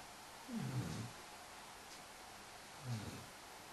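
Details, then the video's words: Five-month-old Irish Wolfhound puppy napping with a Great Dane cross resting on him as a cushion: two low, rough snoring breaths about two seconds apart over a steady background hiss. "Irish Wolfhound puppy snoring"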